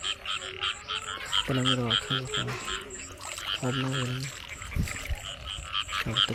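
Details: Frogs calling during the year's early rains while people catch them: two bursts of deep, stepped, harmonic croaks over a steady high chirring chorus, with splashing and brief voices.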